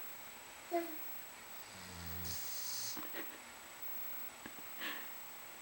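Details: Eddie, a Labradoodle dog asleep one afternoon, snoring: soft low rasping breaths around two seconds in, with a brief burst of hiss and a few faint clicks and sniffs after.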